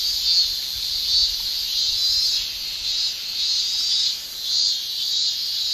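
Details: Japanese summer cicadas, males singing with their tymbals: a continuous high shrill chorus pulsing in slow waves of loudness about every second, with a faint low rumble underneath.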